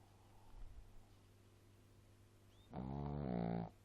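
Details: Small pet dog snoring loudly, one long low rasping breath lasting about a second after a quiet stretch, over a steady low background hum.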